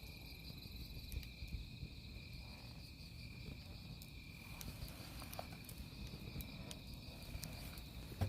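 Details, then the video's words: Steady high cricket trilling runs through a camping scene, with a pulsed upper band. Deep constant background noise and occasional sharp snaps like a wood fire. "캠핑 장작타는 소리 꿀잠 힐링 귀뚜라미"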